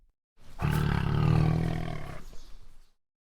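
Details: Tiger roaring: one long, deep, rumbling roar lasting about two seconds, swelling and then fading into a rough breathy tail.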